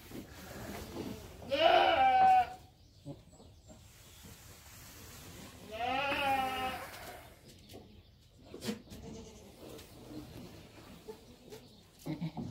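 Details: Goat kids bleating twice, about four seconds apart, each call a wavering, nasal cry, with quiet shuffling and light clicks between.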